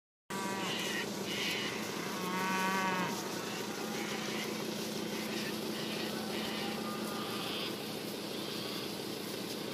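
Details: Beef Shorthorn cattle calling, with one long harmonic moo around the middle and fainter lowing among a dense, steady background hubbub.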